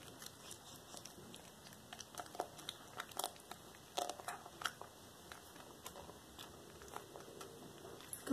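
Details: Indoors on February 13, 2022, the black tabby cat Cracker chews a small rat as whole raw prey. Soft, scattered crunches and clicking bites come with pauses between them, and a brief louder sound comes at the end.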